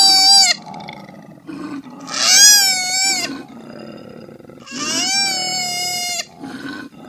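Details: Three wavering, harmonic koala cries of one to one and a half seconds, separated by short grunting sounds and low background noise.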